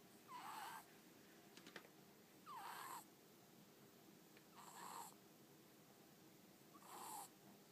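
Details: Ten-chan, a household ferret in deep sleep, half-open eyes, tongue fluttering, snores in regular breathy rasps tinged with a thin squeak, four snores about two seconds apart, plus a couple of faint clicks.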